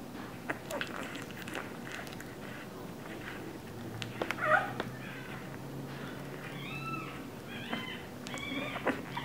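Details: Two-week-old English Bulldog puppies indoors: soft clicks and rustling, then a run of high, arched, tonal whines, short and rising then falling, given several times in quick succession near the end.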